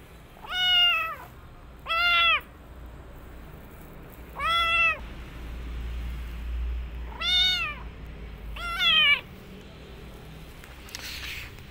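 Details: Rescued female kitten after her rescue, giving five loud, high, arched meows that rise then fall, spaced about two seconds apart, over a low steady rumble in the background.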